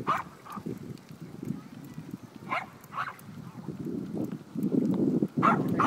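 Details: Adopted Cairn Terriers Bea, Neha and Zander riding in their trailer; short sharp barks break out irregularly, some in quick pairs, over a steady road rumble and a man's voice.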